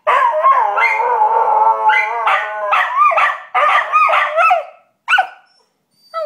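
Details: Riled-up Australian Cattle Dogs let out a long, wavering howl that holds steady and then breaks into choppy yelping shrieks, ending with a couple of isolated sharp yips.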